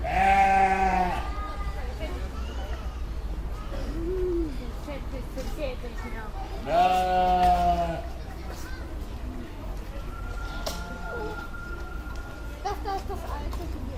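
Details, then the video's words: Flock of sheep calling: two loud drawn-out bleats several seconds apart, with softer short bleats and a thin high tone from other animals in between, over a constant low rumble. "Sheep Sounds | Sheep Sound Effect"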